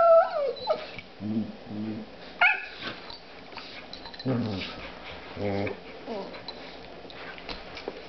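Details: Playful whimpers and yips as Spruce, a female dog, plays with her new puppy: a high falling whine opens, then short paired nasal yelps, a sharp squeal near two and a half seconds, and further brief whining cries.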